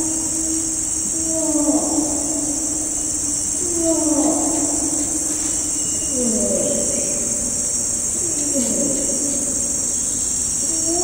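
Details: Bornean orangutan, a distant adult male, bellowing a long call through rainforest; the echoing bellows now slide downward in pitch, spaced roughly two seconds apart, with a continuous shrill insect chorus behind.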